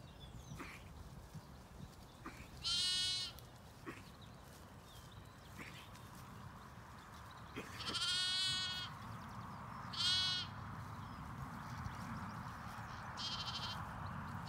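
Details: Zwartbles sheep, ewes and lambs in a flock on a regenerative farm in County Kilkenny, Ireland, bleating during a walk among them: four separate harmonic, wavering bleats spaced a few seconds apart over low rumbling field noise and faint clicks.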